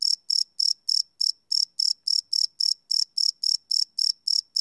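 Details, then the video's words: Close crickets chirping at night, captured with a Sony PCM D100 field recorder: distinct high, trilling pulses spaced evenly, about three and a half each second, in otherwise quiet surroundings. "Cricket Chirp Sound - Cricket Sounds at Night"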